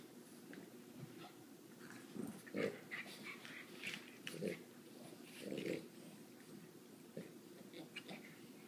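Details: Sully and Boo, pet dogs, playing indoors around a coffee table in February 2014: low growly grumbles and huffing breaths come in uneven bursts about every second or two.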